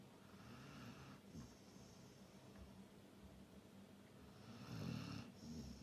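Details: A Labrador Retriever snores in a short stretch: a steady low rasping drone with breathy hiss, building to a louder throaty snore near the end.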